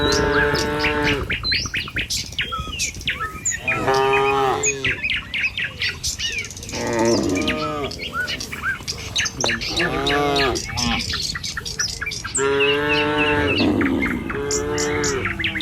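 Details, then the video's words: Herd of tame cattle crossing a village road on the way to the pen one morning; deep drawn-out moos, about five, spaced two to three seconds apart, over steady chirping birds. "Suara Sapi Moou Sepanjang Jalan Menuju Kandang"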